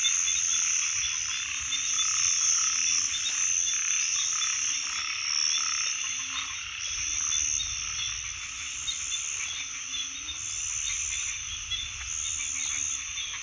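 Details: Frogs croaking in a continuous chorus, short low notes repeated rapidly and fairly evenly, set against a loud constant high shrill buzzing background throughout.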